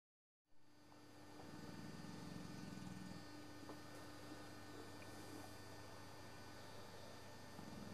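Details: Sabre, an old English Bullmastiff, snoozing on a Sunday afternoon and flapping his jowls, gives a low rumbling snore from about 1.4 to 3.2 seconds over a steady background hum.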